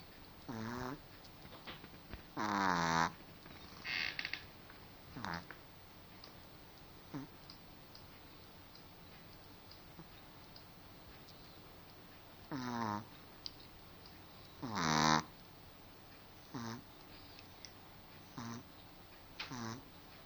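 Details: A sleeping pet dog snores unevenly. Loud harmonic snores, some with a wavering, bubbling texture, alternate with short soft snuffles and small clicks over twenty seconds, with pauses of several seconds.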